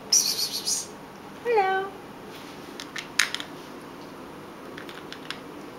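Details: Household pet cats; a short hissing burst opens, then a single brief meow that starts higher and drops, followed by faint clicks and taps in a quiet room.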